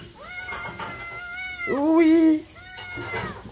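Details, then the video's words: Cat passing by the side of a house, meowing to beg for food: a long tonal meow with stacked harmonics, then a louder, lower drawn-out meow, followed by another fainter meow. "Kucing Lewat Pingir Rumah Mengeong minta makan"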